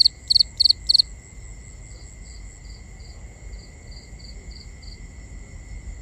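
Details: Nighttime cricket chorus recorded binaurally: four loud pulsed chirps open the first second, then softer single chirps continue at a steady pace behind constant high insect drones and low hiss.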